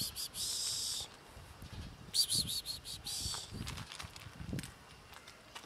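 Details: Scared fluffy black kitten hissing while being fed, giving broad breathy bursts near the start, around two seconds and three seconds, with soft low thumps and handling noise between.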